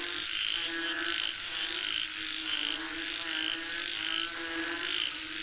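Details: Frogs call for rain in a thick chorus of fast pulsed croaks, a brighter trill returning about once a second, and a constant high whine behind.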